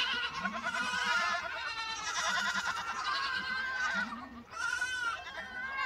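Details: Young lambs calling in a crowded group: long, shaky, nasal bleats overlap one another, with a short lull just past the fourth second before a fresh bleat starts.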